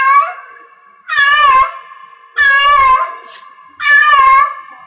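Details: Cat in heat yowling three drawn-out, harmonically rich meows, each about half a second and wavering in pitch, spaced roughly every second and a half, with a lingering ringing tone carrying between calls as in a small room.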